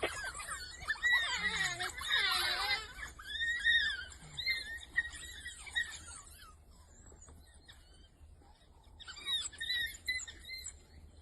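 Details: African painted dogs, a pack with young growing by the day, busy and active on a game drive at Ruaha in the southern circuit; high, squeaky twittering and chirping squeals in dense bursts over the first three seconds, then scattered quieter calls.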